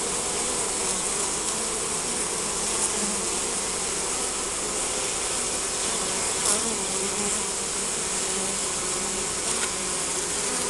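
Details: Spring beehive full of honey bees, captured with a Nikon Coolpix S5100 compact camera; a constant, thick buzzing drone with low humming tones that waver slightly, plus occasional brief taps and clicks over nearly eleven seconds.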